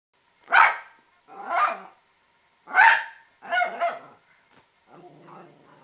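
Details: A household Italian Greyhound barks at squirrels: four sharp barks, the second and fourth hoarser and doubled, followed by a faint low muttering growl-like sound.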